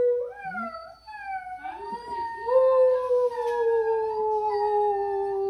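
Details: Basset hound howling indoors on a weekend: long sustained tones with rich harmonics, starting with a short rising note, then a steady drawn-out wail that sinks slowly in pitch over several seconds.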